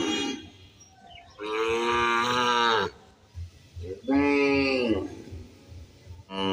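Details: Field setting with a cow and calf eating: two long, loud, rich moos, each over a second, separated by quieter shuffling, and a brief third call starting at the end.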